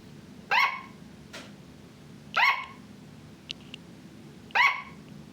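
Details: Sugar glider kept as a pet, barking: three short, sharp, nasal barks, each a fraction of a second, evenly spaced about two seconds apart over a faint background hum, with a faint tick between them.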